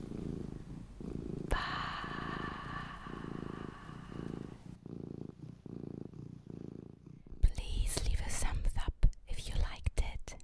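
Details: Purring from Luna, a mini pet cat: a continuous low throbbing purr in slow even waves for about seven seconds, then rustling, handling noise and whispering take over.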